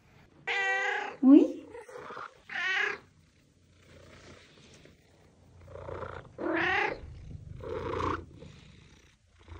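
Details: Domestic cat meows played to call and attract other cats: four loud, harmonic, drawn-out meows spaced over ten seconds, the first followed by a short squeaky note, with a soft low rumble between calls.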